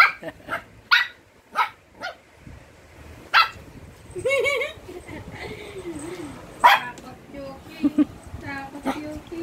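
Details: Mixed Shih Tzu dogs at home, one seemingly afraid of the other: a run of sharp barks in the first few seconds, then whining, yelping tones mid-clip, more barks later, and a woman speaking in Filipino and English.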